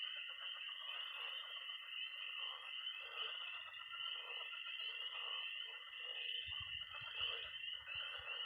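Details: Frogs and toads calling at night by a Missouri pond in early spring: an unbroken shrill mass of peeps and trills, joined near the end by a low rumbling croak.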